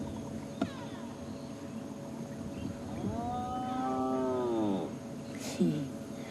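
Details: A spotted hyena on a safari drive gives a long, low, cow-like mooing contact call that holds steady, then sags at the end. It sounds quiet to people, but other hyenas can hear it a couple of kilometres away.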